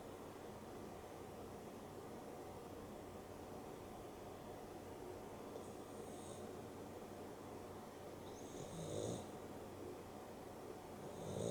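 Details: Dexter, a pet dog, snores through an afternoon nap indoors beside Rio, a Boston Terrier and a Beagle cross. The breaths are soft and airy, each a faint hissing rasp a few seconds apart, over a steady low room hum.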